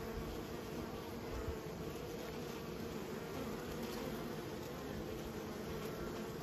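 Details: Steady collective buzz of kept honey bees, a warm low hum with bright bands near 500, continuous and level, with slight flutter in the lowest tones.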